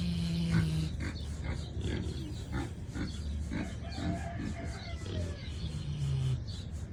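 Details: Sleeping Kunekune pig snoring, rough low breathy snorts repeating roughly every half second to second, with a faint steady low hum in the background.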